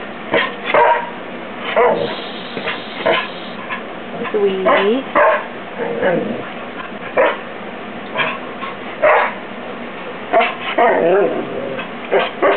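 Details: Pet dog, a female, overexcited and eager to play with a new kitten indoors, giving short sharp barks and yips with a few wavering whines between, scattered irregularly; a woman speaks to her.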